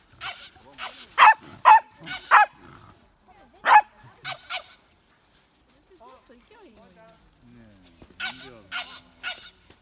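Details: Hina, a lively female Pembroke Welsh Corgi pup born in July 2015, demands play with bursts of quick high barks, a pause with faint rustling, then another short barking burst at the end.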